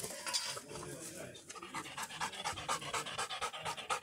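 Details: Black Labrador Retriever, worn out after a long walk, panting steadily: rapid hoarse in-and-out breaths of about two per second, fairly regular, each a short airy rasp, with faint background voice.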